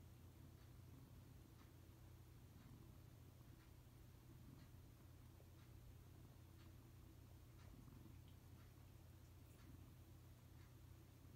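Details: Silver tabby cat kneading the air while purring: a quiet, continuous low rumbling purr throughout, with faint soft clicks recurring about once a second in a small indoor space.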